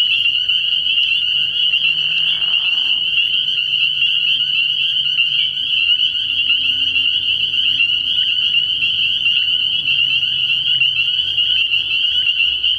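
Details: A frog pond after dark early in the year, where countless spring peepers give high, sharp peeps that blend into a steady piercing wall of sound, broken early by a brief lower croaking burst.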